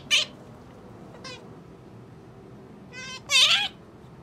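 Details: Pet otter kept indoors: a short shrill harmonic squeak, a brief faint second squeak, then a louder wavering squeal near the end, with quiet room noise between calls.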